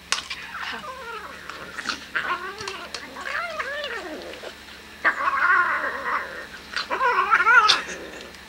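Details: Domestic cat growling while eating food indoors: wavering, moaning growls rising and falling in pitch, in uneven bursts, louder and shriller toward the end, with a person talking nearby.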